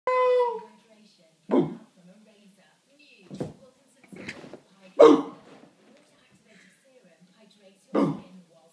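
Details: Simba, a normally lazy chow chow, goofs around indoors in a sparsely furnished room, barking playfully at a person pretending to be a giant cat. Short, sharp, separate barks come every one to three seconds, with a voice at the start.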